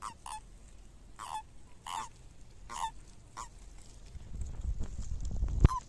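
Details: Breeding common toads on migration, caught in a mating frenzy. Brief, nasal croaks repeat roughly every half second to second, each with a slight downward slur. Low rumbling noise builds toward the close and ends in a sharp knock.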